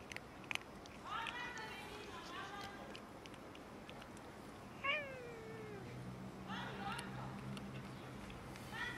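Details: Several meows from cats and a kitten squabbling over food, including bursts of rising-then-falling cries and one long sliding wail. A steady low hum sets in partway through, with occasional sharp ticks.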